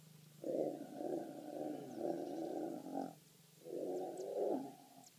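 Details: A three-legged lion mating with a lioness snarls in a harsh, sustained growl lasting nearly three seconds, then a second shorter burst after a brief gap.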